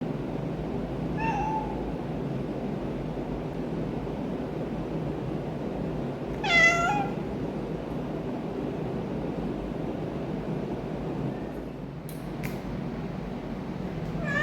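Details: Orange domestic cat, a rescued stray, making odd noises indoors: a faint meow near one second, then a louder strained meow with rich harmonics around six and a half seconds, over steady low background hum.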